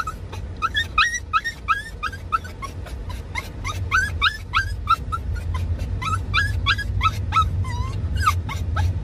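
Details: Doxiepoo cross of Dachshund and Toy Poodle, courting and excited while chasing the father on a drive: rapid, insistent squealing cries, each sliding upward, clustered in bursts with brief gaps, car rumble underneath.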